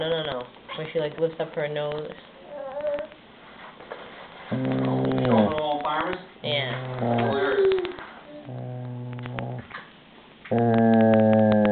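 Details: Shelby, a pet German Shepherd, defends her toy in a small room with drawn-out low rumbling growls, several in a row, while a person keeps talking to her throughout.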